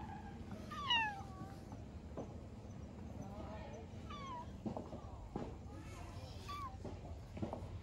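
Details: Stray orange tabby cat with a cute "nyanya" voice meowing outdoors: a clear meow near the start, more in the middle and near the end, each bending down in pitch, with soft human speech in the background.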